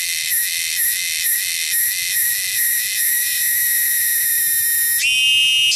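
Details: Cicadas native to the wilderness, loud and shrill, pulsing in quick regular bursts that merge into a steady drone, followed by a sudden shift to a different buzzing tone near the end.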